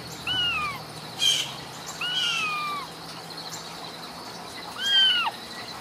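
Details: Three clear, downward-curving squeaky mews from Ragdoll kittens born and nurtured in a Kansas home cattery, spaced a couple of seconds apart, with a soft thump between the first two.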